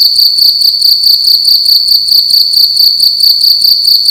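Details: Cricket heard loudly indoors at night, an insistent high-pitched pulsing chirp in rapid, closely spaced bursts, nearly continuous, backed by a faint low hum.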